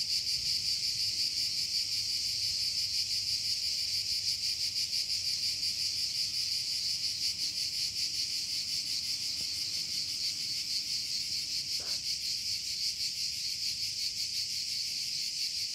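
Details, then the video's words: A constant high cicada drone, rapidly throbbing in a regular beat, with a brief faint sweep near twelve seconds and soft low background noise. "THE SOUND OF TSITSIKAS"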